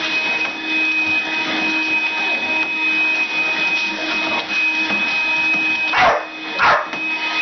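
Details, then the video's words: A female pet dog indoors barks while attacking a running vacuum cleaner. Two sharp, harmonic barks come close together near the end over the vacuum's steady whine and hum. "Crazy Dog attacks vacuum cleaner"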